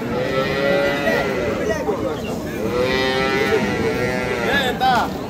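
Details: Dairy cows with calves at Ambari market in Parbatipur, Dinajpur, Bangladesh, on 28 April 2025: two long, drawn-out moos with rich stacked harmonics, arching up and falling, over a steady murmur of the crowded market.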